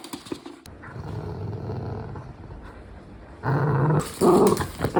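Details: Louis Philipp, a tricolor Cavalier King Charles Spaniel kept as a family dog in Munich, Germany, gives a low, steady rumbling growl that swells into louder, rougher grumbles near the end.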